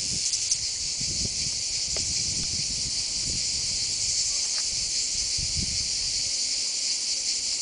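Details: Male cicadas courting, heard as a steady, unbroken high-pitched hissing drone, with faint low rustling and soft knocks beneath it.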